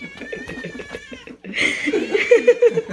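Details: Indoor cats loudly demanding food and getting in the way while it is prepared; people talk first, then a harsh, drawn-out wailing meow rises over the kitchen noise.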